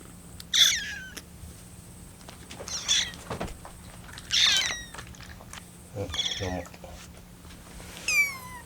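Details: Rescued kittens, including Lucy on her 25th day in care, cry out while waiting for their milk to cool. Five short, rough, high-pitched cries at uneven intervals over several seconds, with faint rustling between them.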